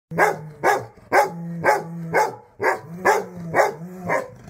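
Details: Rottweiler barking in a steady series, about nine deep, harsh barks in under five seconds, each with a short tonal tail, roughly two per second, with no other clear sounds.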